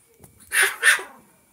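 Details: A young male pet chinchilla gives two quick, sharp, squeaky barks about a quarter second apart. The room is otherwise quiet.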